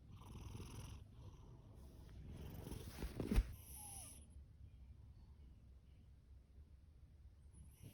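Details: A male orange tabby rescue cat named Fasu, born October 2019, purrs with a deep continuous rumble. Hissy breaths ride on top for the first four seconds, with a sharp click midway, then the purr softens and grows quieter.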